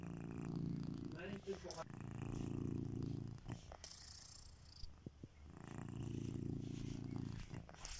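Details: Kitiboy the domesticated cat snores in his sleep with long, steady, low rumbling breaths, three drawn-out purr-like passes separated by brief pauses, with a faint voice-like sound during the first.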